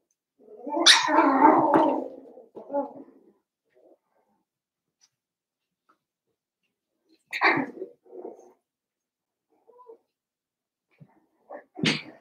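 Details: Seven-week-old Cavalier King Charles Spaniel puppies from Daisy's litter in an indoor home puppy pen: a loud burst of yelping whimpers, then short squeaky yips after a quiet pause, and a final sharp cry.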